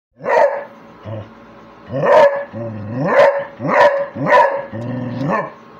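A Beagle-Basset Hound mix gives a string of loud, deep, baying barks.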